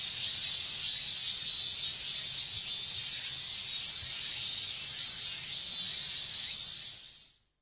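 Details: Minmin cicadas in a dense Japanese summer chorus: a steady, high, shimmering hiss of overlapping buzzes that runs unbroken throughout and fades out at the very end, with no other clear sounds.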